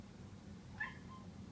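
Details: Domestic cat meowing after spotting a giant moth: one short, loud, harmonic meow, then a faint trailing tone over a steady low hum.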